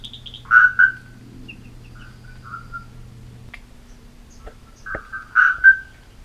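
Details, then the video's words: An Atlantic Forest marsupial tree frog (Gastrotheca microdiscus) gives its call, said to resemble the bellbird's (araponga): short, clear, bell-like notes in close pairs with long pauses between bursts, over a faint low hum. "Vejam, ouçam só o canto dessa perereca"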